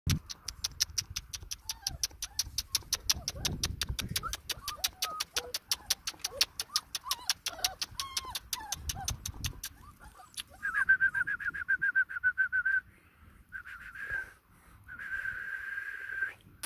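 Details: Saint Bernard puppies in Jaipur, Rajasthan. A long run of rapid, even ticking clicks gives way to thin, high, wavering whines in two stretches of about two seconds each, with soft scattered squeaks earlier on.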